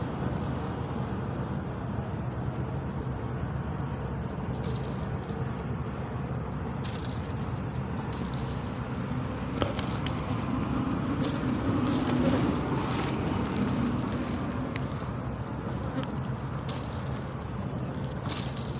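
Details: A water buffalo in Laos flaps its ears, making dull, irregular percussive slaps and rattles over a low rumble.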